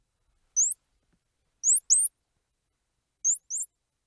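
A squirrel monkey gives brief, very high chirps in quick pairs, with short silences between.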